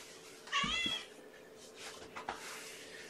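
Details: Indoor cat meow during a morning feeding of a mother cat and her five young kittens, recorded May 7, 2018; one short, bright harmonic meow lasting about half a second, followed by soft room rustling and faint clicks.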